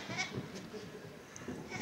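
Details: A small feral goat, apparently stuck on a very high ledge on Tryfan's north ridge, spotted by climbers. It gives soft, wavering bleats with low harmonic tones, over steady wind noise.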